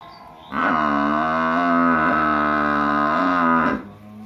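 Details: Village cow giving a single long, steady moo of about three seconds, rich and droning, with slight dips in pitch midway before it cuts off.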